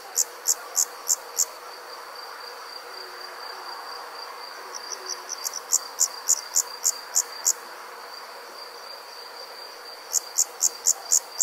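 Summer night insects: a steady high-pitched drone broken by bursts of sharp, rapid ticking pulses.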